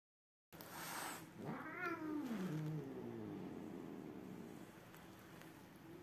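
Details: Cat caterwauling, one of two cats that are not friends: a single wavering, falling yowl of under two seconds rises out of steady background noise, then the noise continues.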